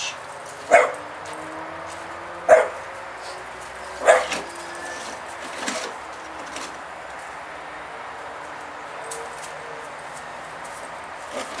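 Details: A Staffordshire Bull Terrier that fears a spade gives a few sharp, fearful barks at it, spaced about two seconds apart.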